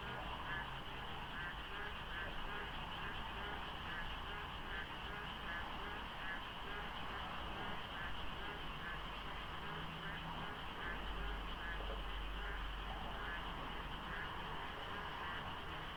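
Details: Frogs calling in darkness at dawn during the monsoon rains by the Deokso IC expressway interchange, South Korea, with light fog. A dense, overlapping chorus of many callers forms a steady pulsing wall of croaks, with faint traffic rumble beneath.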